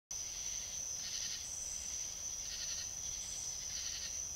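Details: Fox on a trail camera in South Carolina, giving harsh, raspy bursts that repeat roughly every second, with a steady high-pitched whine running through the whole recording.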